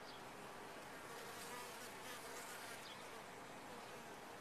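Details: Colony of bees in a top-bar hive giving an even, hissy, unbroken hum throughout, with no other clear sounds.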